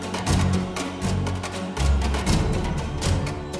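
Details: Only dramatic music is heard, with booming low drums and sustained tones and no animal voices.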